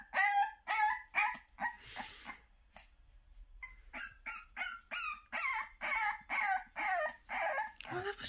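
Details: A French Bulldog puppy named Bonnie, unhappy at being put in a box in the morning while her pen is cleaned out, gives a string of short, yelping howls in rapid bursts of protest.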